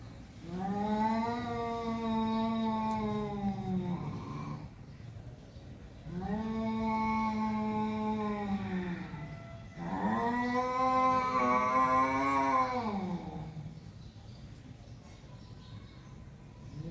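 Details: Domestic cat in a face-off with a rival cat, the bigger one fearless: long, wavering, moaning yowls, each lasting several seconds.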